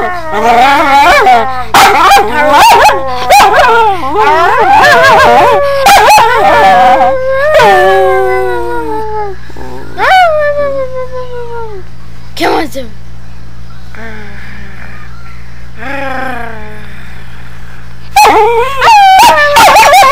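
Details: Newly acquired female pet dog barking and howling. Rapid sharp barks and yips run into long, sliding, wavering howls that fall in pitch. A quieter stretch follows, then a fresh burst of high yelping howls, all over a steady low hum.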